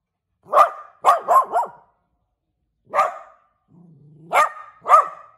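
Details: Small pet dog barking indoors, a quick run of four high, clipped barks, a pause, then lone barks; a faint low hum sounds briefly between them.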